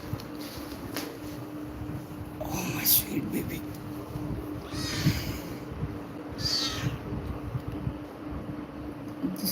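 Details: A 29-day-old Persian kitten, one of a litter of three, calling for its mother indoors: three thin, high meows a few seconds apart, with a woman speaking softly over them and a steady low hum.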